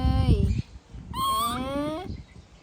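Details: Tantrum of a baby monkey left by its mother: human voices first, then a high, bright, drawn-out wail sliding slightly upward and holding for nearly a second, with faint background noise.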